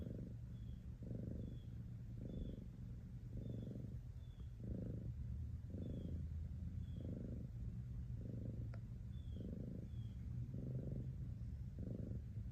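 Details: Steady purring from a cat, a throaty low drone that pulses with each breath roughly every second, with quiet high-pitched chirps and a single click in the background.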